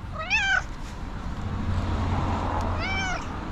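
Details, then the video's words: Female tuxedo cat meowing loudly indoors as she comes running to her owner on seeing her: two clear, rising-then-falling harmonic meows about two and a half seconds apart, with a low steady hum underneath. "Tuxedo cat, meowing loudly, came running to me when she saw me"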